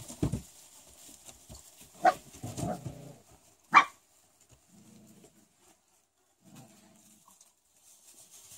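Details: Rottweiler puppies four weeks old: a few short yelps and squeaky whimpers in the first four seconds, then soft low grunting murmurs, with quiet gaps between.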